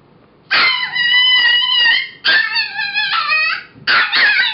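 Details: Female foster pup Mo, now Molly, around six weeks old or younger, singing in three loud howls, each one to one and a half seconds long, strongly harmonic with slight wavering and falling ends.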